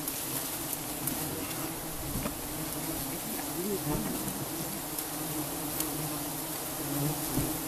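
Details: Giant honeybees at a colony being harvested for honey give a continuous dense drone, low and even in pitch throughout. Occasional soft clicks and knocks come from the harvesting work.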